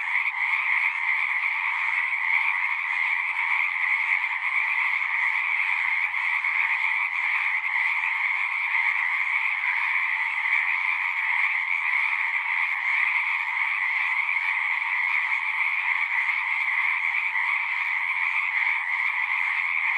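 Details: Dense chorus of singing frogs, many voices blending into a continuous buzzing trill with a lower and a brighter layer, steady and even throughout, nothing else audible above it.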